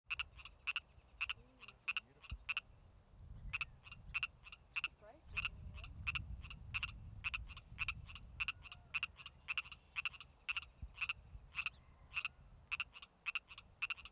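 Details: A male Pacific tree frog calls in late spring with brief, raspy, two-part ribbit-like croaks in rapid clusters with short pauses between, over a low rumble and faint voices.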